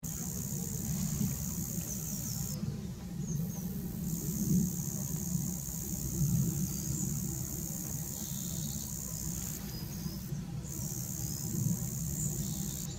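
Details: Roesel's bush-cricket stridulating at Ravensroost Wood, Wiltshire, a continuous high, shrill buzz over a low rumble of wind or distant traffic.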